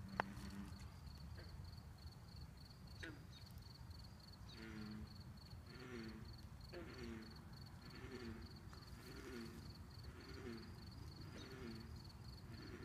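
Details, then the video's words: Bullfrogs calling at a pond: low, resonant, harmonic croaks repeat roughly every second in a steady series, over a constant high-pitched insect tone and soft background hiss. "Bullfrogs singing at the pond"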